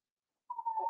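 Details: Cavalier King Charles Spaniel puppies, four weeks old, kept in an indoor puppy pen while meeting other household dogs and tasting puppy mash; a thin, steady whistled whine starts halfway through and holds at one pitch to the end.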